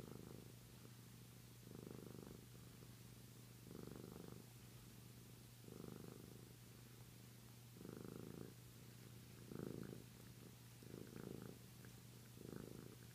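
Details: A Flame Point Siamese cat, sucking his tail to calm himself to sleep, a habit since adoption, purrs in soft, low bursts that swell and fade roughly every two seconds.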